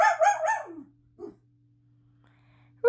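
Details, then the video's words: Daisy the pet dog barks indoors to be let out of the room when someone comes home. A rapid string of three or four loud barks fades out, followed by a short soft yelp and a steady low hum. "Daisy Barking at Me"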